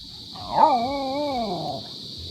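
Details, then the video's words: Talkative Belgian-Labrador dog, indoors, being told it may not go outside. It answers with a drawn-out, wavering, howl-like talking call that rises and falls several times over more than a second. "talkative Belgian-Labrador"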